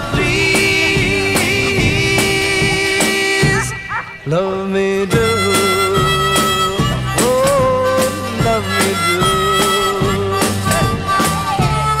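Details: Lively folk music with harmonica and other instruments plays throughout, with a brief dip in the middle and no animal sound heard.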